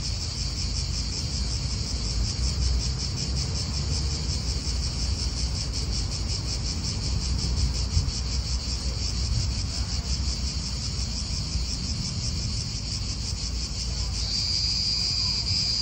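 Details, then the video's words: Cicadas in an Italian park drone on in a high, pulsing buzz beneath heavy low wind rumble, the insect tone sharpening into a clearer, purer whine near the end. "Cicadas wind real atmosphere in an Italian park"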